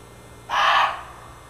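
A muntjac, the barking deer, lets out one loud, rasping cry that starts abruptly and fades quickly. The bark is rough and noisy, almost crow-like, against a quiet background.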